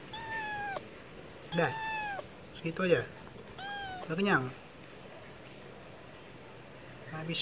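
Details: Wet food offered to a stray cat brings clear, bright meows in quick succession, first flat and then slightly falling, then the cat falls quiet for a few seconds before a final faint call.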